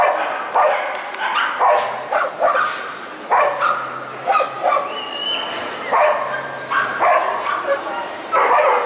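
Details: Collie barking at a qualifying competition at the ZOOSHOW in Gavan, ring A1, on 29 March 2015: short sharp barks in bursts about once a second, with pauses, over indoor crowd murmur and faint voices.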